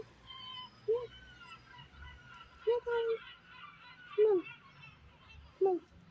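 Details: Small stray kitten that does not trust humans mews four times, roughly every one and a half seconds, each call short, high and bending downward, one a doubled mew, against a soft hum.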